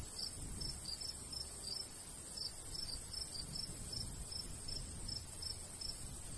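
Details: Summer crickets by a golden wheat field, their thin high chirps repeating about two or three times a second in loose clusters, over a quiet background with little wind.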